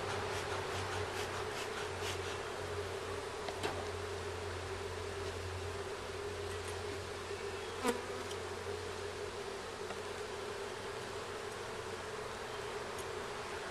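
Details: Continuous buzzing of honey bees around a hive on its first inspection, with comb found and foragers carrying yellow pollen back; even drone with occasional brief clicks and a sharp knock near the middle.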